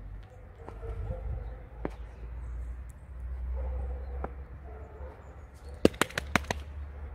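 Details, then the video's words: Alisa, a pet fox, grumbles during a playful game: faint low harmonic moaning in short bursts, followed near the end by a quick series of sharp clicks or knocks. "Алиса - Лиса. Ворчливая игра."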